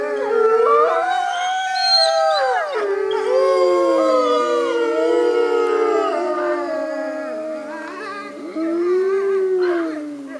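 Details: Gray wolves of a North American pack kept at a wolf center howl as a group; many gliding, wavering tones rise and fall across each other in a sustained, layered chorus with brief dips in loudness.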